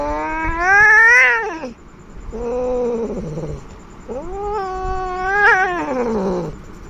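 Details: Angry, aggressive domestic cat giving three drawn-out harmonic yowls, each rising then falling, the first climbing to a strained peak, the last wavering and sliding downward, with short quiet gaps between; no other sounds.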